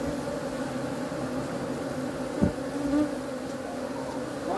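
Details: Honey bees heard as a constant low droning buzz, even and unbroken, with a short knock and a faint rising whine near the middle.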